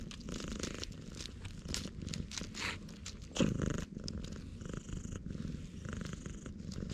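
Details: A jet-black stray cat on Tashirojima, Japan, lying in a road and being petted, purrs at loud volume on a GoPro HERO8; dense low throbbing purr, one brief louder bump near the middle, faint rustling.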